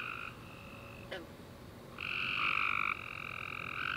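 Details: Tree frogs calling at night following a warm rainy summer day, a quieter trill at first, then a loud, steady, buzzy trill lasting about a second, with other frogs continuing softly behind.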